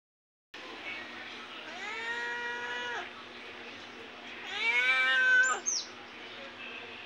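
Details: Cat meowing twice: a drawn-out, harmonic-rich meow that rises then holds level, followed after a pause by a louder meow that falls away at its end, over a steady low hum.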